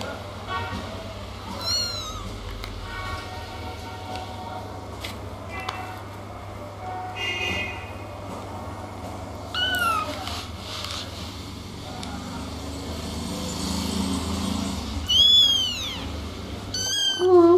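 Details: Little kittens meowing: several short, high, arched mews spaced well apart, sitting over a steady low hum and rustling background noise, with a louder mew near the end.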